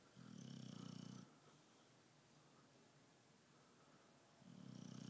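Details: A sleepy British Bulldog called Tyson snores indoors: a low, steady buzzing snore of about a second at the start, a quiet pause, then another beginning at the end.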